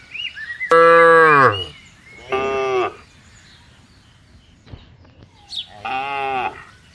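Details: Three moos from tame cattle grazing freely in a spacious green plantation. The first call is loud and full, followed by two shorter, softer lows with quiet gaps between them.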